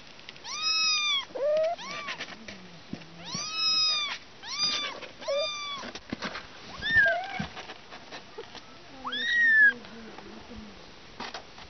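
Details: Young kittens calling with high, wavering meows, each rising and dropping in pitch, arriving in uneven bursts, while a low murmuring voice sounds faintly beneath them.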